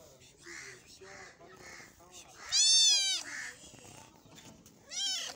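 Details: A cat eats meat, giving a strong wailing meow midway and a shorter rising cry at the end, with soft repeated chewing-like noises in between.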